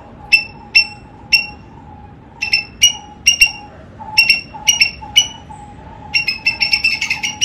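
A squirrel gives sharp, high chips, spaced at first and then quickening into a rapid chatter.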